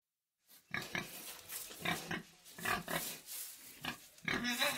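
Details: Pig in a pig sty giving rough, broadband grunts and short squeals in quick irregular bursts after a brief silence, some with layered tonal bands, ending in a louder squealing burst.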